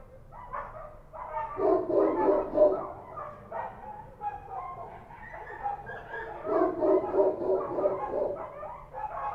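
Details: Night barking of Kochi street dogs in Kabul: a quiet start, then a chorus of rough, overlapping barks that rises in loud surges, with yelps repeated roughly three times a second.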